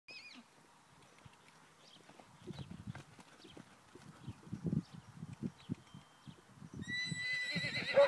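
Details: A 10-month-old foal, Pura Raza Española sire and Thoroughbred dam, on its first day of lunging training. Soft rhythmic hoofbeats build steadily, then a loud high whinny breaks out in the final second.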